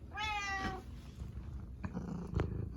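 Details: Karu-chan, a pet cat that trails its owner everywhere, gives a short loud meow at the start, falling slightly at the end. Quiet bumps and low room hum follow while the owner keeps pleading.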